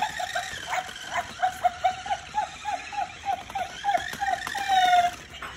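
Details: Cavalier King Charles Spaniel puppy named BoBa, going wild for a new motion-activated fake tail toy. It gives a quick string of short, high whimpers and yips, about three a second, over rustling play noise.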